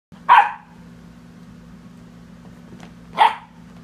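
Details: Sadie, a pet dog, harassing the cat: two sharp, single barks about three seconds apart, with a steady low electrical hum underneath and quiet indoor background between them.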